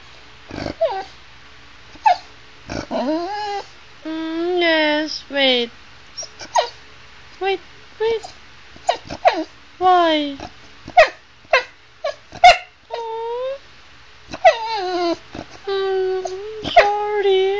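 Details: Female Chow Chow Sugar chatters at her owner, always telling her about things she wants to share and do: a long run of warbling, rising-and-falling harmonic whines and howl-like moans mixed with sharp yips, while a person answers in speech.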